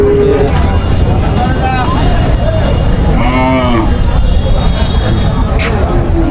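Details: Bangladeshi Qurbani cattle at a busy market in Parulia, Satkhira, before Eid al-Adha 2025; one drawn-out moo rises midway through heavy crowd chatter, nearby talking and traffic rumble.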